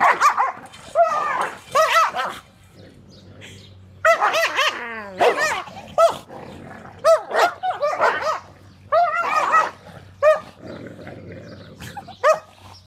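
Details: Female Great Pyrenees refusing to share food with a pit bull/lab mix, a routine squabble: loud rough barks and growling snarls in bursts, with a high falling whine near the middle and pauses between outbursts.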